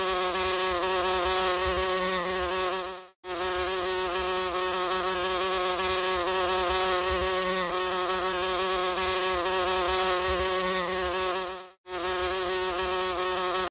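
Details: Yellow-eyed horse fly with small black spots on its eyes, heard as a continuous harmonic drone of beating wings, constant in pitch and loudness, interrupted by two short silent breaks.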